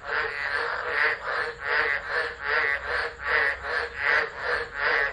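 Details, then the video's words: Chorus of tropical frogs singing through a tropical low near Driver, Northern Territory, Australia, December 2013, phone recording; rhythmic swelling calls repeating a little over once per second, broadband buzzy pulses with faint high hum overhead. "Tropical Storm Frogs Singing"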